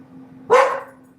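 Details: A single pet dog gives one short, sharp bark at home, loud and abrupt with a quick fading tail, amid people greeting and talking during a gold mining session.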